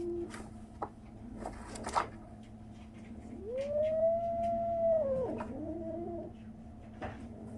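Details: A 37-day-old kitten gives one drawn-out, rising-then-level meow lasting over a second, ending in a short lower tail, with faint clicks and small knocks around it indoors.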